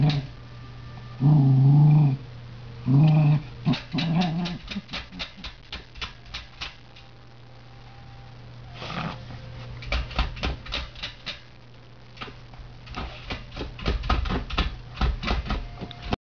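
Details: Tory, an indoor earth dog, works the heating ducts after something heard or smelled inside, giving two deep rumbling growls early on, followed by a long run of sharp clicking and scratching taps.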